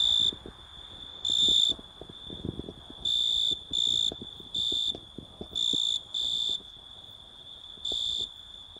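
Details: Oecanthus pellucens, the Italian tree cricket, giving a run of nine clear, ringing high trills, each about half a second, at uneven intervals, some nearly back to back, with a faint steady tone between them.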